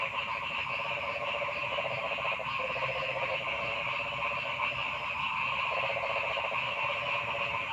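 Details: Frogs in a forest: a loud, continuous chorus of many overlapping callers, with stuttering, pulsed croak bursts of about half a second to a second rising out of a constant buzzing, trilling background.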